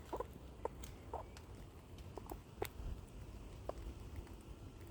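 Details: Squirrel hiccuping and scolding while eating: short, clipped chirps repeated about every half second, some doubled, over a low background rumble and faint crackles.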